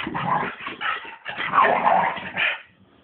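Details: Two pet dogs, a Bulldog and a Staff, playing together indoors, giving harsh, rough growling barks in three noisy bursts across three seconds, then quieting.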